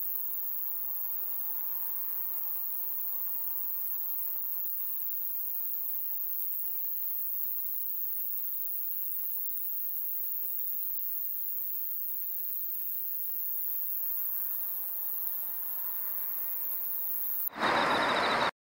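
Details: Ruspolia lineosa, a coneheaded katydid, singing a continuous, very high-pitched buzz that holds steady without breaks, over a low, layered electrical hum, ending in a sudden burst of noise.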